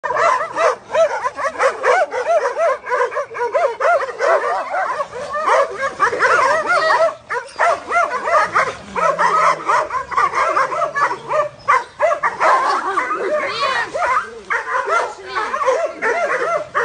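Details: Doberman giving continuous excited yelping barks, with short arched yips overlapping in rapid, uneven bursts throughout.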